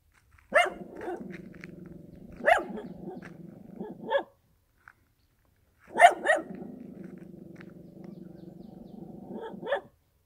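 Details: Rural dog barking loudly, one sharp bark every one to two seconds, sometimes two in quick succession, with a low droning hum filling the gaps and a short silent break midway.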